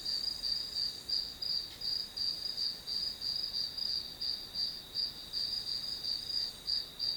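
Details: Grass insects calling as white noise for a study session: a steady, very high-pitched trill pulsing in regular beats about three times per second, with a faint thin hiss above it and no other sounds.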